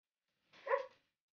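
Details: A Belgian Malinois puppy at Landora Kennel in the Philippines gives a single short, soft yip-like bark lasting about half a second, with nothing else audible around it.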